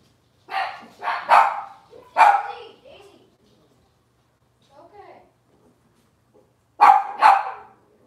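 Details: Cavalier King Charles Spaniel puppies from Robin's litter, on an indoor kitchen camera, give sharp high yips and short barks in bursts near the start and again near the end, separated by a quiet stretch.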